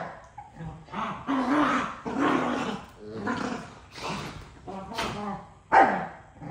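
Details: Pair of dogs quarrelling over a toy, trading continuous throaty growls and roaring snarls with short yelping peaks, the noisy squabble barely pausing between outbursts.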